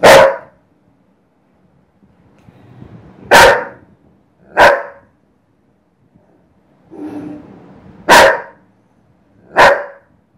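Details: Dobermann; bark; angry reaction to recorded cat sounds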